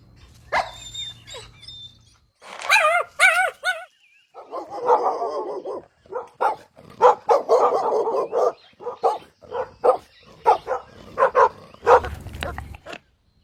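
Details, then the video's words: Puppies drinking milk on a green meadow give wavering whiny yelps, then a long string of short, rapid barks and yips that continue in uneven bursts, with faint high chirps early on. "Adorable Puppies Drinking Milk on a Lush Green Meadow | Puppy Video | Cute Barking Sounds"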